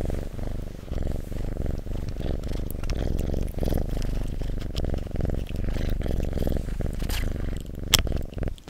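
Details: House cat purring steadily near the microphone, an even low throbbing rumble in regular breath-length pulses, with a few sharp clicks and soft fabric rustles.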